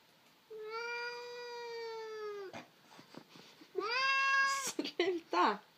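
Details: Irritated Sphynx cat whining indoors, wanting to attack an arm: a long, steady, tonal meow lasting about two seconds, then a second rising, held cry with clicks and scuffles, while a person speaks Swedish nearby.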